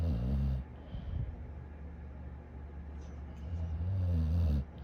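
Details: A sleeping dog snoring: low, rumbling breaths with harmonic buzz, one long snore at the start, a quieter stretch, then another drawn-out snore near the end.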